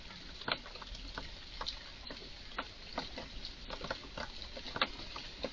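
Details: A squirrel (Eurasian red squirrel), highly excited in a garden, utters strange sounds: sparse, crisp clicking chucks spaced roughly every half second against quiet background rustle.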